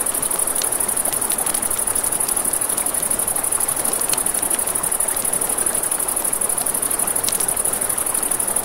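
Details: Crickets at night by a river beside a campfire, a steady high continuous trill running throughout, with crackling flames popping and a broad rushing river wash beneath.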